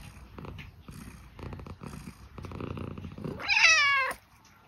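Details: Scottish Fold cat asking for food: soft purring and rustling, then one loud, drawn-out meow that rises and falls near the end, followed by a sharp click.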